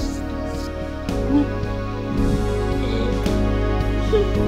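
Soft, sustained instrumental music with steady low tones plays throughout, with no animal sounds.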